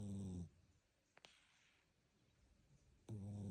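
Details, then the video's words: Domestic cat snoring while asleep: a loud, low, harmonic rasping breath at the start and another about two and a half seconds later, with near-silence between apart from a couple of faint clicks. "고양이 코골이"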